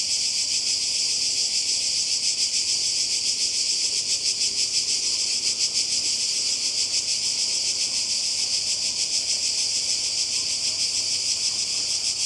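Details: Summer cicada chorus on the Croatian coast, a loud continuous shrill buzz that throbs rapidly and evenly, with no pauses and nothing else standing out.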